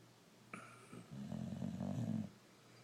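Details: Boxer with a brindle coat, Rocco, asleep and giving a single low, gravelly snore lasting about a second, preceded by a brief higher tone.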